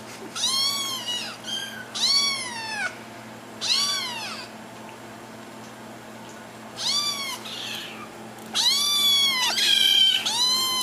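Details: Attention-seeking kittens meowing in a run of loud, bright, arched cries, several in quick succession, then a pause, then a dense overlapping burst of meows from more than one kitten near the end.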